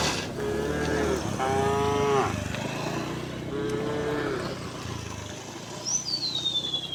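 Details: Tame cows being driven to their pen along a quiet village road in the afternoon give three drawn-out, even-pitched moos in the first five seconds, with a short high bird whistle and low background rumble afterward.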